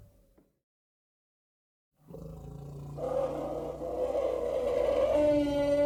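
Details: Elephant vocalizing: after a brief sound and a silent gap, a deep rumble grows into a loud, harsh roar. The roar becomes tonal and brassy toward the end, with clear overtones.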